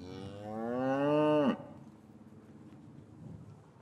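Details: Cow lowing in an English cattle yard on a winter afternoon, calves separated from their mothers, recorded on a matched pair of Rode M5s: one loud, rich moo rising slightly in pitch for about a second and a half, then stopping abruptly into quiet yard ambience.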